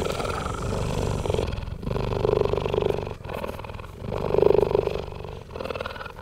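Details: Hand-raised captive cheetahs purring close to their keeper; a continuous low rumbling purr swelling in two louder bursts, with faint human voices earlier in the recording.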